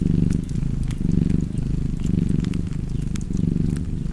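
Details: Domestic cat purring steadily, a low rumbling drone that swells and fades with each breath roughly once a second, with fireplace crackles snapping sharply over it.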